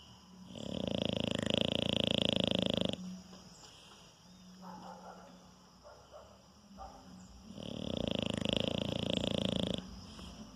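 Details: Sleeping French Bulldog, described as very docile, that always snores in its sleep; two long, loud, rasping snores of about two and a half seconds each, separated by quieter snuffling breaths.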